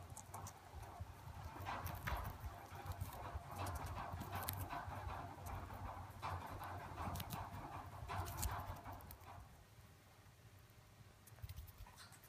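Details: Two pet chipmunks eating corn in the summer corn season, close-up: fast, dense crunching and crisp gnawing clicks at roughly three per second for about nine seconds, then softer, sparser nibbling with a low steady hum underneath.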